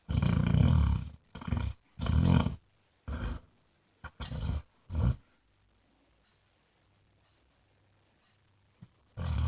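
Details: Basset Hound Jack, or Mr Flops, gives a run of six low, rough snores about a second apart, then goes quiet before one last rumbling snore starts at the end.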